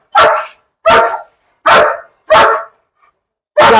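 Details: Trained German Shepherd in Perumbavoor that bonds only with the father of its household gives five loud, rough barks spaced roughly three-quarters of a second apart, with a pause before the last one.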